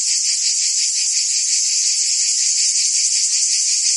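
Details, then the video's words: Summer chorus of cicadas in Provence, France, a steady shrill electric buzz with a quick throbbing pulse, unbroken and even in volume, no other sounds heard. "Cicadas singing in France (Provence)"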